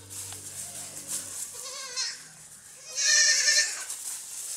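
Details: Baby goats playing on a farm: low background tones at first, a soft wavering bleat, then a louder, longer quavering bleat lasting about a second.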